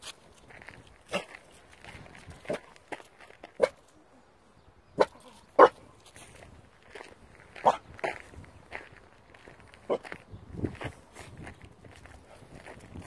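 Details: Sam, a Staffordshire bull terrier puppy, afraid of a traffic cone, gives short sharp barks scattered irregularly across the recording, some louder than others, while a person talks throughout.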